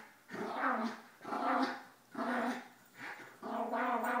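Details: Playful growling from pet dogs indoors during a morning routine, as an 11-year-old miniature schnauzer tries to overpower a 9-year-old basset hound while a 2-year-old Yorkie intervenes; five rough, harmonic growl bursts, roughly one per second, in a small room.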